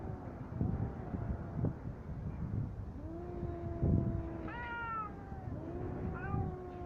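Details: Two fighting cats exchanging drawn-out yowls, one lower and steady, the other higher and wavering with a sharp rising cry near four and a half seconds, over a constant low background rumble.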